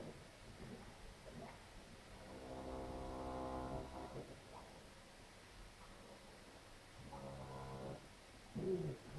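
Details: Heifer lowing while calving on a Polish farm, a difficult birth: two long, deep, droning moos rich in harmonics, the first lasting about two seconds, the second shorter, over a low steady barn hum.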